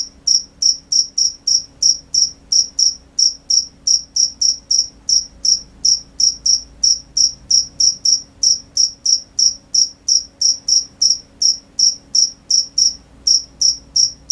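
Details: Crickets at night calling continuously: a long run of sharp, high trilled chirps, close to three each second, strongly regular and unbroken for the whole stretch, nothing else audible.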